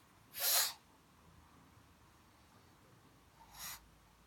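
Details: A pug lets out a sharp, hissing, sneeze-like burst of breath, then about three seconds later a second, shorter and softer one; the room is otherwise quiet.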